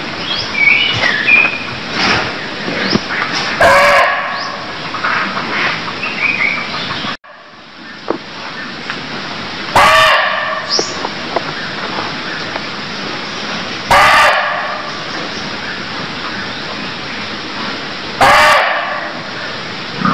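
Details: Barking deer in Cambodia giving loud, harsh, barking calls, repeated roughly every four to five seconds, over steady background chirping and trilling from birds and insects, with an abrupt cut partway through.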